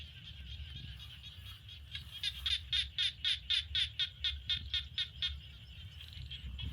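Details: In rice fields in Cambodia, a frog gives a fast run of about fourteen sharp, high, rattling pulses, roughly four per second, over a low rumble of wind or traffic.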